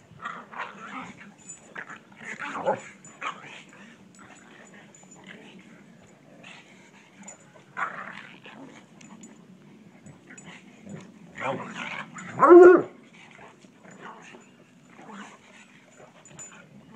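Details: Bloodhound and pug at play in a yard, giving sparse short growls and whines spread through the recording. One sharp, louder yelp comes near the end, and a constant low hum runs underneath.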